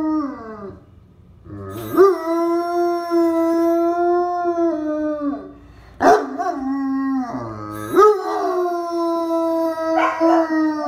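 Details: German Shepherd howling at a ringing telephone indoors: three long, steady, tonal howls of about four seconds each, each starting with a short upward slide, then holding level before fading, with brief pauses between.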